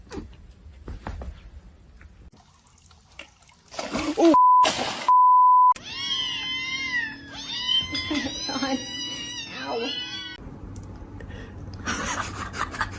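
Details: House cat after a quiet start and a steady bleep tone: a run of long, rising-and-falling meows, several in close succession over about four seconds, ending in softer rustling noise.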